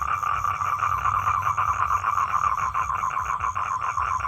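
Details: Unbroken pulsed trill from a male toad seeking a mate, fast buzzing pulses with a gentle throbbing rhythm throughout the short stretch.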